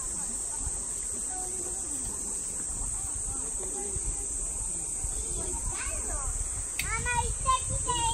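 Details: Platypleura kaempferi, a cicada, recorded in Saitama Prefecture, Japan, during August 2019: a constant high-pitched drone holds the whole time, while rapid sweeping chirps and scattered voices rise toward the end.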